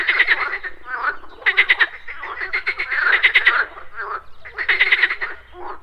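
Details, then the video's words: Morning pond with frogs giving rapid, rattling croak bursts about once a second and a half, louder pulse trains over softer, lower croaks from other callers in the background. "Frogs Croaking"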